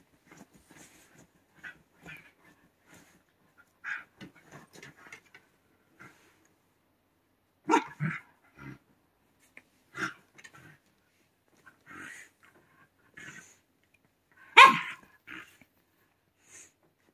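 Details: Indoor white Shiba Inu, interrupted while digging in bedding, gives sparse short vocal bursts: soft huffs and yips, sharper barks near the middle and one loud bark late, with quiet pauses between.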